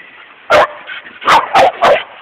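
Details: Doppler and Willy, dogs with a Seattle dog walker, wrestling at Golden Gardens, recorded on an Android phone: four sharp, loud yapping barks, one alone then three in a quick run about a third of a second apart, over quiet background.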